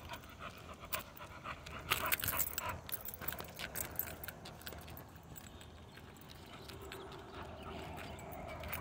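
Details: XL American Bully dog on a mild morning that is neither too hot nor too cold, breathing in quick, rough pants, loudest around the second and third seconds, then trailing into soft breaths against low background noise.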